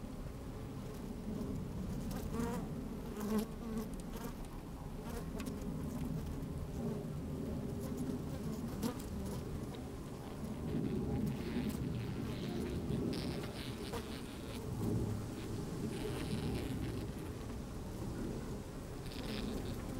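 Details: Honey bees working inside an open hive on a fine, sunny day, microphone slid down among them: a dense low hum with brief rising buzzes and scattered crackling clicks as the insects move about.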